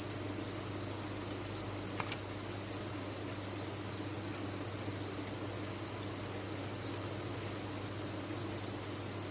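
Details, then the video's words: Crowded crickets on a cricket farm produce a continuous piercing trill, a single short click around two seconds in, over a soft low hum. "Sound of a Cricket Farm"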